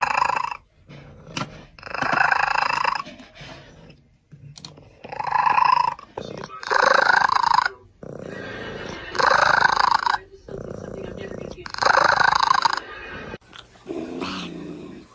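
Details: Domestic cat making strange, drawn-out growling yowls, harsh and rough-textured, in bursts of one to two seconds repeated about every two seconds, with brief quiet breaks and a person's voice nearby.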